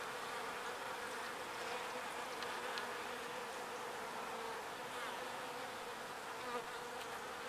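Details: Pollen-gathering bees returning to their hive fill the air with a constant, level humming buzz from many insects flying together.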